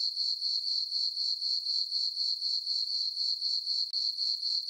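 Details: Crickets chirping on a peaceful summer night in a farm meadow under a full moon: a steady, high, ringing trill pulsing about four times per second, dense and unbroken, with no other sounds.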